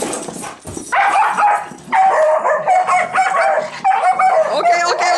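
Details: Bedlington Terrier playing with a puppy companion, recorded 26 October 2013: loud, steady-pitched whining yips with rich overtones come in drawn-out bursts separated by short pauses, while a person talks nearby.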